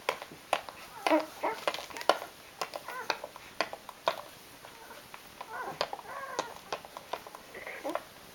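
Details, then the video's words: Rhodesian Ridgeback pups eight days old, five in the litter, give brief high squeaks and wavering whines amid rustling and soft clicks, the cries coming in quick irregular runs rather than a steady rhythm. "Rhodesian Ridgeback Puppies Day 8"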